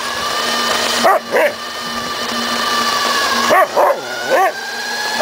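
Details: Samoyed Suka barking while chasing a remote-controlled car: two pairs of quick, harmonic-rich barks about two seconds apart, set against the constant buzzing whine of the car's motor.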